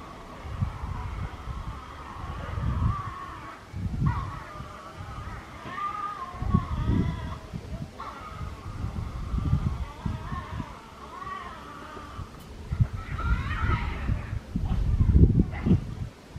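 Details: Tasmanian devil at Tama Zoological Park, recorded 12 March 2018; a drawn-out, wavering, moaning cry that shifts in pitch, broken by brief pauses, over low thumping and scuffling noises.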